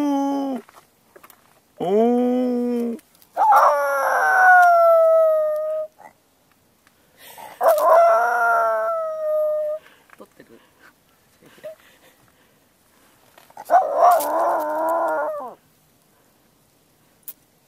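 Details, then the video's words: Leo-tan, a two-year-old male Miniature Pinscher, howls on the Hiwada-yama summit on 9 December 2014 after an ambulance siren and a departed playmate dog, with the owner imitating a howl as a prompt. Four long, wavering, tonal howling bouts are separated by quiet gaps. "ミニピン レオたん 遠吠えをする"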